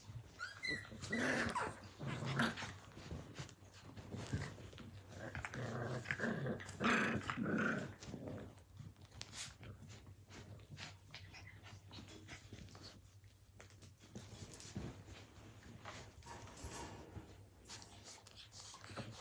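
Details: Blue Heeler (Australian Cattle Dog) puppies at play indoors in 2020, giving repeated growls and sharp little barks through the first eight seconds, then quieter scuffling with fainter growls.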